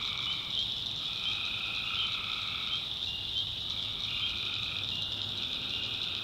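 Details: Tree frogs chorusing after dark in a North Carolina backwoods swamp. The continuous high shrilling never stops, while lower, buzzy sustained tones overlap in alternating stretches of roughly a second.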